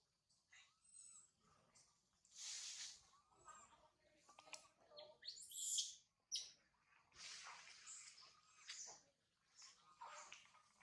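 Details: Infant monkey Sario, abandoned by mother Sarah, wails from a high tree: repeated piercing broadband screams interspersed with soft upturned coo notes, several loud shrieks clustered mid-way.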